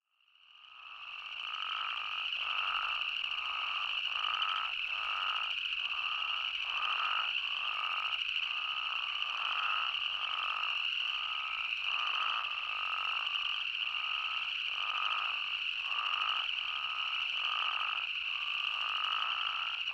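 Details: Outdoor Arizona chorus of spadefoot toads fades in, then holds steady: rapid, evenly spaced short bleats, about four a second, laid over a continuous high-pitched ringing wash of many callers.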